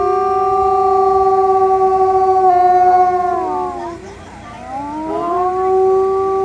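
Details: Howling wolf chorus of long, level, tonal notes. Partway through, the voices bend downward, dip in loudness, then rise again in sweeping glides before returning to steady held pitches.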